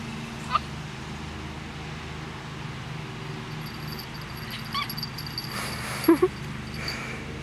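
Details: Bob, an 11-week-old Schipperke puppy, barks while chasing a ball at Hazeldale Dog Park in Aloha, Oregon: a few short, sharp yips spaced seconds apart over a steady low hum of background noise, with a person's brief praise afterward.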